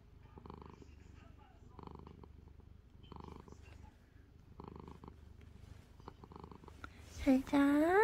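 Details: Drowsy calico cat nestled in a blanket, playing despite being sleepy: steady low purr rising and falling in regular breaths, about every 1.4 seconds, with a woman softly whispering good night over the final second.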